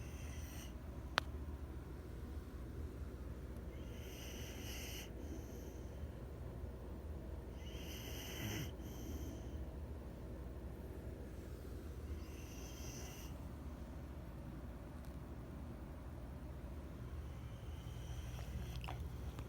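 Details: Sleeping puppies snoring, soft breathy snores recurring every few seconds, faint and airy, over a steady low background rumble with a brief click near the start.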